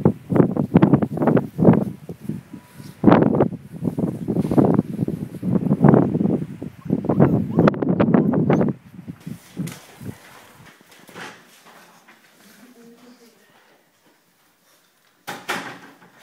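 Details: Litter of Leonberger puppies, five weeks old, chattering in rapid rough low bursts for about nine seconds, trailing off into faint sounds and near silence before a last short noise.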